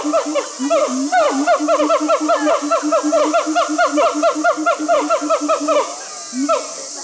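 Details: Zoo siamangs singing together in Chiba, Japan, August 2020: a rapid, dense series of rising-and-falling harmonic notes, about two per second, overlapping in a chattering chorus, then fading to a few scattered calls at the end.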